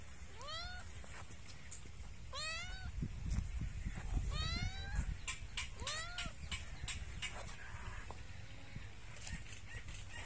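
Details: Domestic cat meowing: four clear, arched meows, each rising then falling, spaced roughly every two seconds, over a steady low rumble and scattered clicks, then quieter faint sounds toward the end.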